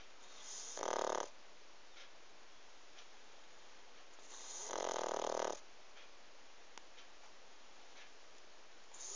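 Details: A pug snores twice, about three and a half seconds apart. The second rasping breath is longer and broader than the first, and a quiet hiss fills the gaps.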